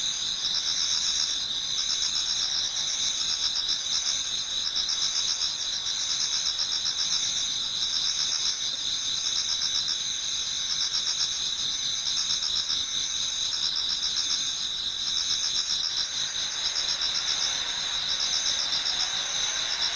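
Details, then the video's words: Numerous autumn insects sing in a Japanese garden as dawn approaches, a continuous high, buzzing trill chorus with regular rapid pulsing, one layer shifting slightly near the end. "Autumn Insects voice Towards dawn"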